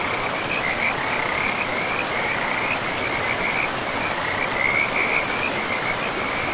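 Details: Forest river frogs in a pristine, mossy woodland setting, their high trilled calls forming an unbroken chorus, with occasional brighter bursts, against a loud continuous roar of flowing water.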